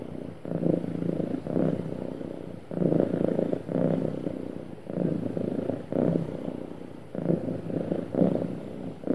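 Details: Contented cat's smooth purring, described as happy: low rumbling bursts alternating about every second as it breathes in and out, close and steady, nothing else audible.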